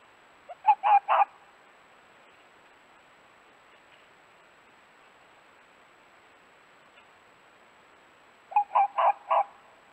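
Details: Male dog fox calling to its mate at a den, a vixen nearby: two short bursts of three to four hoarse, rasping barks in quick succession, the second burst about eight seconds after the first, quiet background between.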